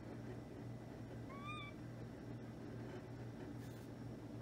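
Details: A kitten gives a single short meow, a brief rising-then-falling cry with clear overtones, over a steady low indoor hum.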